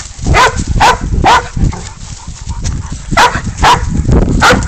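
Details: Pig dog baying up a goat during a hunt, catch and release. Loud harmonic barks come in bursts, about six sharp yelps roughly every half second with a short gap, over rustling movement and wind noise.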